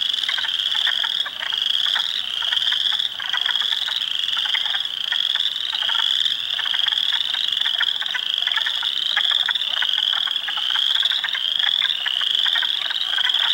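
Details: Dense spring chorus from hundreds of frogs, including Spring Peepers, Wood Frogs and Eastern Chorus Frogs, in a swamp at Heartland Forest, Ontario, April 2, 2022; shrill overlapping peeps swell in waves every second or two over clacking croaks.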